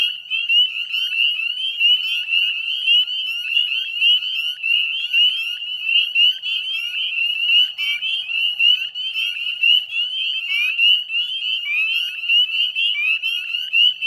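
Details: Many northern spring peepers calling together in spring at the Chezzetcook salt marsh, Nova Scotia, at dusk on 18 May 2020; a steady, piercing chorus of high peeps, individual rising whistles jumping out against the massed background.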